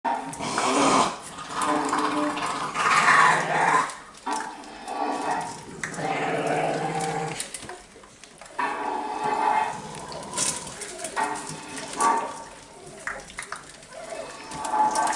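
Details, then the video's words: Staffordshire bull terrier puppies of the Panda litter at an exclusive breeding kennel, filmed on 29 May 2018, give high whining yelps and grumbling growls in bursts with short pauses. The sounds overlap, as from several pups together. "Les bruitages avec les chiots PANDA"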